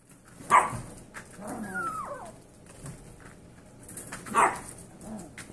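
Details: Seven-week-old Yorkshire Terrier foster puppies: two sharp, high yaps about four seconds apart, with a thin, wavering whine between them and quiet shuffling in the background.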